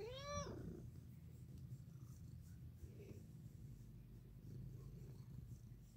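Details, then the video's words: Domestic cat purring while lying in the sun: a steady, low, rumbling purr fills the whole recording, opened by one short rising-and-falling meow. "The one with the purring sun-cat"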